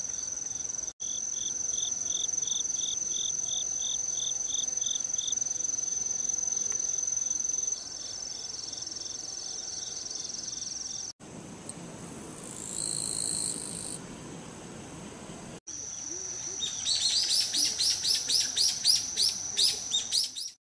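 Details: Autumn insects recorded in the countryside on 17 September 2018 chirr steadily, with a high continuous trill and beaded, rapidly pulsed chirps.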